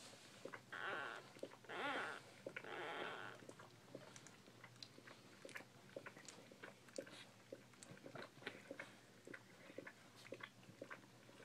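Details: Bull Pei puppies indoors giving two or three loud, whining squeals in the first three seconds, each a stacked, wavering cry, followed by soft clicking and shuffling noises with no further calls.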